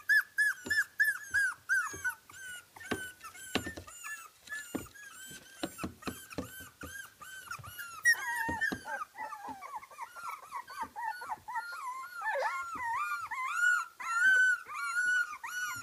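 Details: Young Kooikerhondje puppies, 24 days old, from a Swedish kennel, squealing and whining continuously; a chorus of high wavering whines with short yelps, about one and a half calls per second, growing more overlapping and wobbly toward the end.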